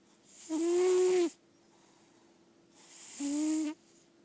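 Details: Daisy Belle, a lilac point Siamese, asleep indoors, gives two loud snores roughly 2.7 seconds apart. Each is a drawn-out breath with a steady, low droning tone over airy hiss.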